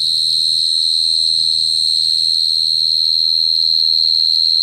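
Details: A cricket sings without pause, a piercing high trill with a fast, regular throb, while a quiet low rumble runs beneath.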